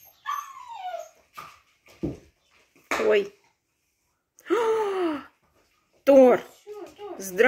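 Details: Siberian Husky Graf on his last morning in his home, voicing loud drawn-out whines that slide downward, in several separate bursts about a second long with short silences between, mixed with nearby human voices.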